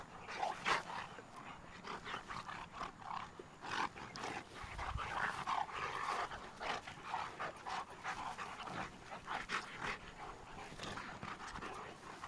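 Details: Two Cane Corso dogs at playtime, breathing in quick, rhythmic, breathy bursts that rise and fall in loudness throughout, with scuffling noises between breaths.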